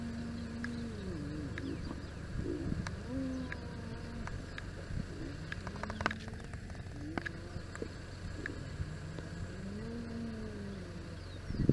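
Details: Members of a spotted hyena clan socialising at their den in the southern part of Kruger National Park give short, low, tonal groans and moans that rise and fall, with scattered knocks and clicks and a steady engine hum.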